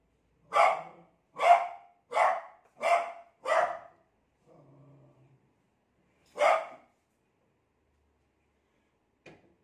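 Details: Beagle frightened by a new cot gives a run of five rapid barks about once every half second, a low faint growl, then one more bark after a pause and a soft final yelp.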